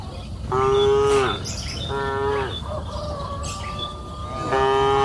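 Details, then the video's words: Cows on a green pasture hill in the afternoon give two full moos in quick succession, then a third begins near the end, with light chirps and soft field ambience in the background. "Sound of cows mooing up the green pasture hill in the afternoon"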